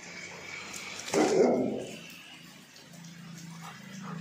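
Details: German Shepherd barking, said to be annoying the neighbours: one loud, broad bark about a second in, then quiet background hum.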